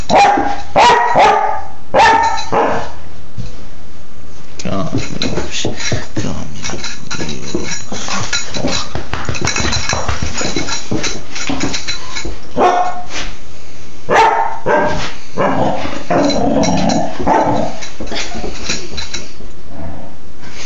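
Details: Young female Dobermann Baja, four months and two weeks old, wanting to play on 26 February 2011: scattered harsh barks at the start and again in the second half, with a long stretch of scuffling noise and human speech between.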